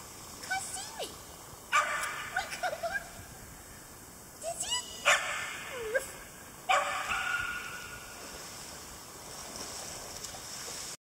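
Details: A 10-week-old English Cream Golden Retriever puppy gives sharp, high yips and short barks between thin, wavering whines, sassing from the sidelines of a heated dog swimming pool at a private dog facility in Spring, Texas.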